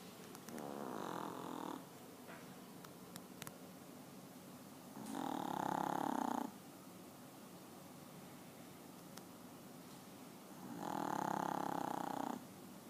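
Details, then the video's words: Pomeranian dog snoring, very tired after a big meal: long raspy breaths about every five seconds, each lasting over a second, with quiet gaps between. "pomeranian snoring"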